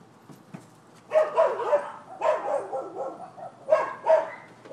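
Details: Neighbors' dogs barking on a Florida property, recorded 7 December 2015, as a nuisance complaint: clusters of sharp, rough barks in three bursts after a quiet first second, with faint background hum.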